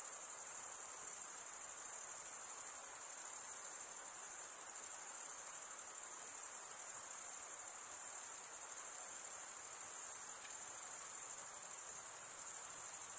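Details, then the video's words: Shrill, sustained shimmer of many crickets chirping, produced by males drawing one wing over the toothed vein of the other; the rapid pulsing high tone runs steadily from start to finish. "cricket sound"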